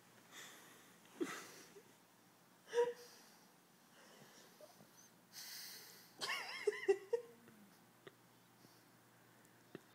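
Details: Cooper, a Pug puppy, asleep after a big day, making soft wheezy, snuffling snores at irregular intervals, short nasal whistles and snorts with quiet breathing between them, indoors.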